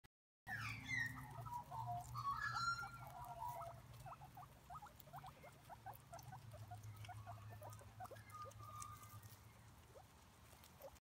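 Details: Several guinea pigs squeaking noisily: short rising whistles and chirps early on, then rapid soft repeated squeaks about two or three per second over a low steady hum.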